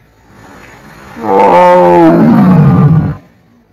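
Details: Tiger roaring on a jungle safari: one deep, rich roar lasting about two seconds. It starts abruptly, then slides downward in pitch into a rough, growling finish. Near silence comes before and after.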